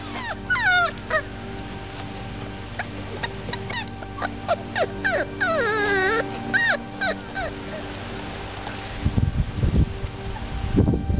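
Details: Beagle puppies from one litter, five weeks old, whimpering in quick clusters of thin wavering whines that rise and fall. The busiest stretch comes midway, then low thumps and rustling follow, with a steady tonal hum behind.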